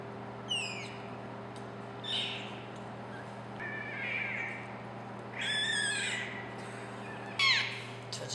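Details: Two-week-old clouded leopard cubs at a zoo in Tacoma, Washington, feeding and snuggling, give high, thin squeaky mews in short bursts over a steady mechanical hum.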